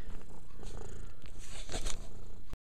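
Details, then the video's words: Short stretch of low purring from Mia, a house cat cleaning herself, with a few licking and rustling sounds before it cuts off. "Mia purring, and cleaning."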